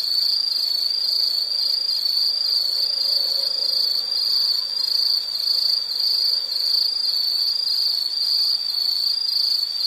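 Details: High, unbroken insect trilling in a soothing nature scene, a bright pulsing buzz that wavers about twice per second without pause.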